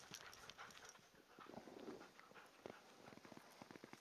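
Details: Siberian Huskies Bekele and Haile at Guesthouse Husky, enjoying the snow during a short break; quick, soft, breathy panting bursts come in a rapid rhythm, with crunching snow and scuffling movement close by.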